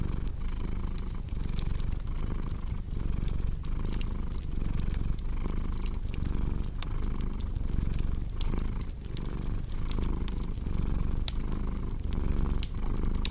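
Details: Rhythmic rumbling purr of a cat, steady and low, each breath cycle marked by a brief dip, accompanied by scattered crisp snapping from a crackling fireplace.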